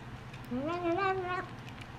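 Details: Korean Shorthair cat, kept indoors, making an odd cry while eating since its food was changed: a single drawn-out meow of about one second, rising then wavering and ending with a quick upward lilt, over a faint steady hum.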